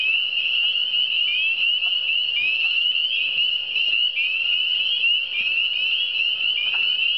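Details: Many frogs calling together in the Eastern Townships, a thick wall of high, rising chirped sweeps repeating without pause, with a low constant hum and occasional faint taps in the background.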